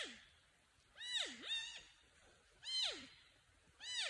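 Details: Porcupine alerting or calling for a friend or mate: four loud, nasal, harmonic whines, each sliding sharply downward, some arching up then down again, given in uneven bursts about a second apart against a quiet outdoor background.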